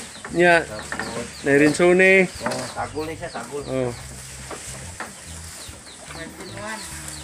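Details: Anglo-Nubian goats bleating at milking time on a goat farm: loud, quavering, wavering bleats in short bursts near the start, then softer scattered calls over a steady low farm hum.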